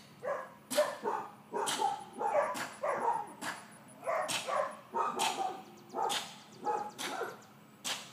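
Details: Yappy barking from Georgia, a four-month-old miniature dachshund bitch being trained to walk on a leash and stay calm when excited; quick barks follow one another almost without a break, mixed with sharp clicking knocks.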